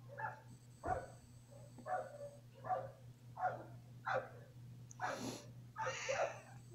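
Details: Domestic cat named Mingkay, reacting indoors while its owner cries: a run of short, voiced meow-like calls about every 0.7 seconds, the last two louder and broader, over a steady low electrical hum.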